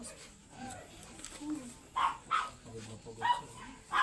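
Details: Pure white Poodle with a liver nose during a stud session at a house in Manaoag, Pangasinan, giving four short, sharp barks spaced irregularly over the last two seconds, with quiet talking underneath.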